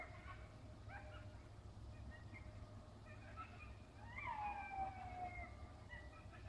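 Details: Several coyotes in a field giving scattered yips, then a strong drawn-out howl that rises and falls gently around its middle, over a constant low hum.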